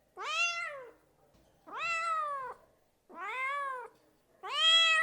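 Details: Domestic cat meowing in a house: four drawn-out, harmonic meows, each rising then slowly falling, spaced roughly every one and a half seconds with quiet gaps between.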